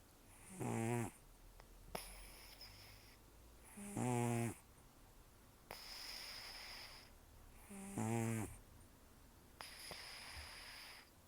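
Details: Rescued cat Taro, estimated 10 to 14 years old, taken in October 2024, nearly toothless after gum disease and long outdoor life, sleeping and snoring loudly: harsh rattling inhalations about every two seconds, separated by softer hissing nasal exhalations.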